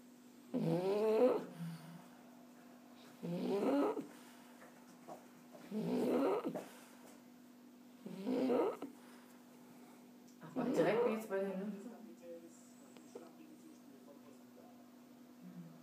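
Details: Relaxed French Bulldog snoring in its sleep: five rasping, gurgling snores recurring roughly every two and a half seconds, each short and rough-edged, over a steady low electrical hum.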